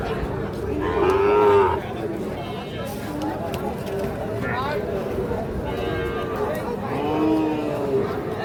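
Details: Sahiwal cattle at Ambari cattle market in Parbatipur, Dinajpur, Bangladesh, where bull calves are sold on Mondays and Fridays. A short, tonal moo rises out of a busy crowd near the start, with shouted prices and chatter throughout.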